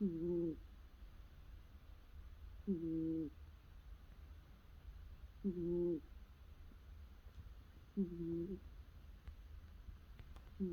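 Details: Domestic cat asleep and curled up, snoring: soft, low, tonal, slightly nasal snores, each about half a second long, repeating steadily about every two and a half seconds in a quiet indoor room.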